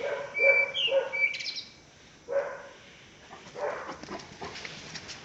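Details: Barks from a one-year-one-month-old Caucasian Shepherd Dog, Pələng, in Azerbaijan: a quick pair, a pause, then single barks, overlapped by a clear bird whistle.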